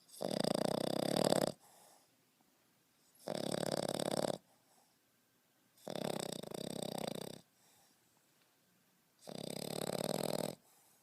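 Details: Snoring of a 5.5-month-old French Bulldog puppy, sleeping indoors: four loud, raspy, buzzing snores, each about one to one and a half seconds long, repeated roughly every three seconds with quiet breaths in between.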